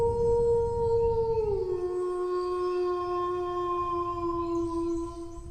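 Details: A dog's drawn-out howl held level, then stepping down to a lower pitch after about a second and a half and sustained smoothly to the end, with faint low background noise.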